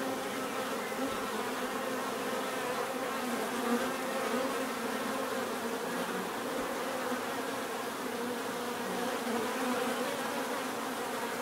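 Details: Bees buzzing steadily, a dense drone of many overlapping wingbeats with layered low hums and a continuous bright hiss, unchanging in loudness throughout, offered as natural sound for relaxation and sleep.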